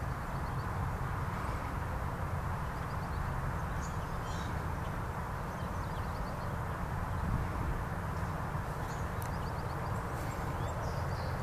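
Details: Continuous hive drone from honeybee activity at a Lusitania Meadow beehive, an even, rumbling buzz that holds steady throughout. Scattered faint bird chirps and short twitters sit above the hum.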